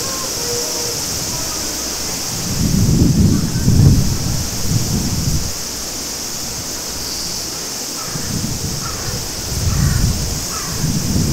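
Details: Japanese summer cicadas at the Maruike spring-water pond near Mt. Kirishima give an even, sizzling high drone, beneath which a running stream surges and ebbs in repeated low gushes.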